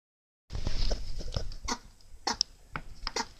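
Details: Mini Rex rabbit sneezing: a few short, sharp, explosive bursts spread across about three seconds, over low rumbling handling noise and small clicks.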